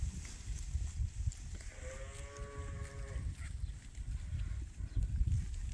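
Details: Farm sheep in the morning as rams and ewes are released to spring pasture for the first time this year. One drawn-out, quavering bleat lasts about a second and a half, over steady low rumbling and shuffling farmyard noise.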